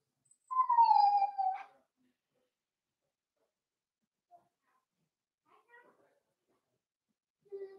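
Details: Four-week-old Cavalier King Charles Spaniel puppies in a home puppy pen, being socialized with other dogs: one drawn-out, falling whine just over a second long with harmonic overtones, then scattered faint squeaks and a short whimper near the end.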